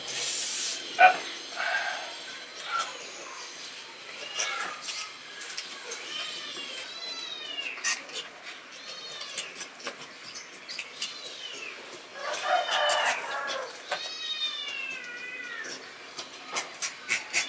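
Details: Pet Asian palm civet handled indoors by its owner, giving several high, arching harmonic squeals and whines that rise and fall, in bursts around six to eight seconds and again near twelve to fifteen seconds, with clicks, handling noise and a man speaking Indonesian.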